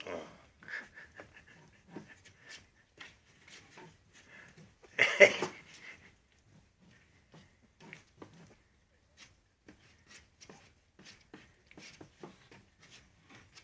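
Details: Patterdale Terrier puppies playing indoors in a small room: short scattered yips and soft growly bursts, with one louder squeal midway, snuffling and panting between, and a person's voice remarking on the play.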